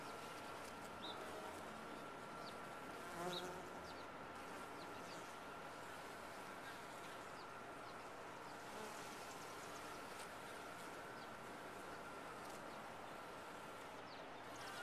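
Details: Honey bees in a top-bar hive give a thick, unbroken hum with a steady tone running through it and a brief louder burst near three seconds.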